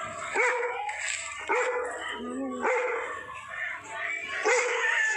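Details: Bakarwal dog named Tiger barking at a stranger: loud, harsh barks come in bursts roughly once a second, each with a strong low ring, with some voice-like sounds between them.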